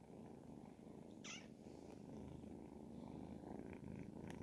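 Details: Ragdoll kittens, 10 and 12 weeks old, purring together in a steady, dense, low rumble that runs unbroken through the whole stretch, with one brief high squeak partway in.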